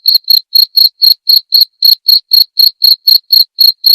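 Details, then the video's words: Cricket calling in a short clear burst meant as murai batu training material: sixteen crisp, shrill chirps in four seconds, each a brief high buzz separated by silence. "masteran suara jangkrik jernih!"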